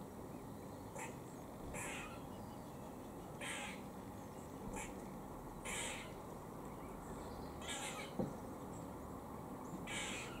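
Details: A squirrel in Cambridge, UK, at 4:18 pm on 17 October 2020, gives harsh, rasping warning calls while eating, repeated roughly every second or two.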